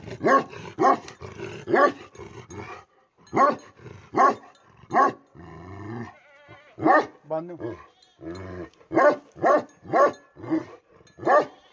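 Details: Tibetan Mastiff, or Bhote Kukur, from Nepal, a flock-guarding dog: strong deep barks in quick runs, a human voice briefly audible in the middle, then steady barking resumes.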